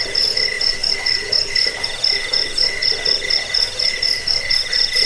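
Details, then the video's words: Cricket chirps meant to drive away rats, lull listeners to sleep and train caged birds: evenly spaced high pulses, about two a second, stacked on a shrill upper tone and a lower ringing band, continuous throughout. "Suara jangkik pengusir tikus pengantar tidur"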